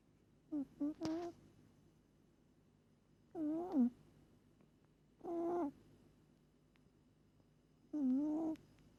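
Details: Sleeping pet cat Moli snoring hard, each breath a short reedy hum that bends up and down in pitch, four bursts spaced about two to three seconds apart in a quiet room.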